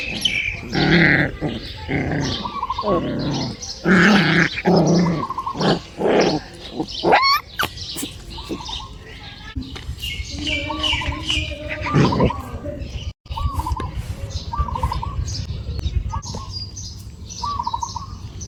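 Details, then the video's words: A dog barks in a rapid run of harsh, broadband bursts over the first seven seconds, then quieter intermittent sounds follow while short repeated chirps and background voices continue behind. "The sound of dogs"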